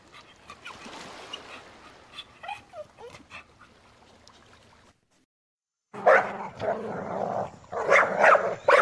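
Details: Domestic dog: soft whimpering and yipping for about five seconds, a second of silence, then a run of loud, harsh barks, several in quick succession.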